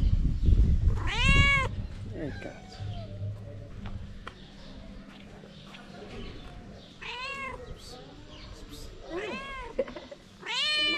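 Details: A hungry stray mother cat in Morocco asks for food so she can make milk for her kittens. She gives several loud, drawn-out meows that rise and fall, spaced a few seconds apart, over a low rumble of background noise.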